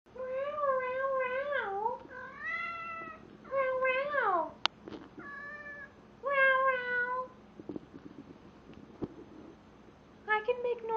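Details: Jack, a male house cat indoors, yowls loudly while mating with a stuffed toy: a string of drawn-out, wavering meows that dip and rise, with brief pauses, a sharp click and a few faint background sounds between calls.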